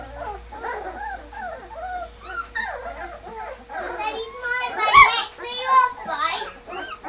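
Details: Bergamasco Shepherd puppies, sleepy and restless after moving to a puppy room, give bent, sliding whines and piercing squeals that cluster and grow louder midway, mixed with a child's and adult's voices.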